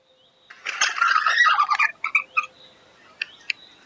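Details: Himalayan red panda calling: a raspy, harmonic chattering burst lasting about a second, followed by three quick squeaky notes and two sharp chirps after a short pause, against a quiet background.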